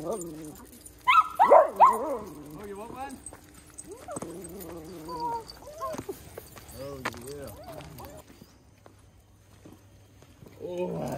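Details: Small dogs excited at a farm on Small Dog Day. A dog gives short, arched, high yips and whines in irregular bursts, loudest early on. A person talks softly over them, with light rustling and quieter stretches between calls.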